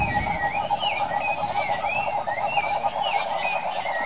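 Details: Wild cane toads in the Brazilian Pantanal calling, a dense pulsing mid-pitched trill held steadily throughout, overlaid by repeated wavering whistled tones slightly higher.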